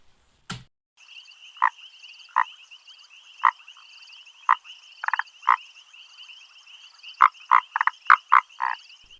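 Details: Grey foam-nest tree frog (Chiromantis xerampelina) call, likened to an African darter: short, husky croaks about once a second, bunching into a quick run near the end, over a steady high insect trill.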